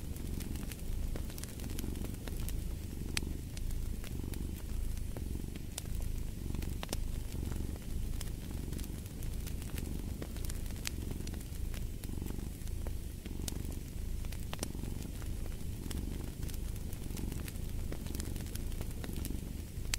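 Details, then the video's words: A domestic cat purrs steadily, low and buzzing, pulsing in rhythm with its breathing about once every second or so, over a backdrop of a fireplace with constant crackling and occasional louder snaps. "Fall asleep to the Purring of a Cat"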